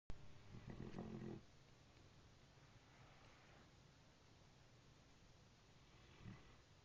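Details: Brindle Great Dane snoring while asleep, said to sound like a train: one loud, rough, low rumbling snore of about a second near the start, then quiet low breathing noise with a faint swell near the end.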